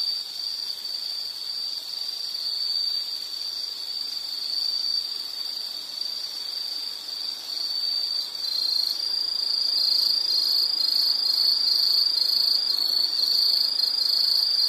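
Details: A continuous shrill insect trill grows louder in the second half, where a second high pulsing insect voice joins above it.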